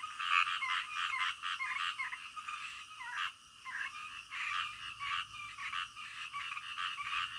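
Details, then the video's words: Frogs calling in the middle of the night, a calm nighttime chorus: dense overlapping croaks with bright mid-pitched pulses, irregular and continuous, briefly dipping around three seconds before resuming. "SUARA KODOK DITENGAH MALAM"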